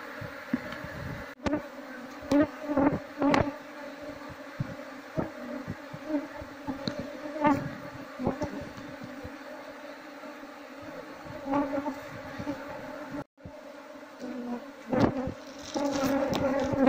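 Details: Wild Apis cerana honey bees, aggressive when disturbed, drone loudly while the queen is sought to transfer the colony into a hive; dense layered buzzing overlaid with frequent knocks, taps and brief handling noises.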